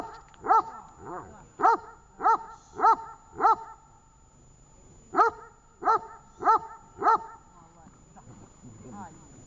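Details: Training session with the dog Tash, Horlivka, 18 August 2019: two bursts of sharp repeated barks, five then four, separated by a short quiet gap, with faint voices and low sounds near the end.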